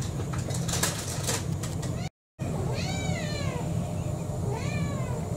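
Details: Kurumi, a roughly four-year-old orange tabby mixed-breed house cat, begging for dinner indoors: after two seconds of rustling and tapping come two arched, rising-then-falling meows, one near the middle and one toward the end, over a low steady hum.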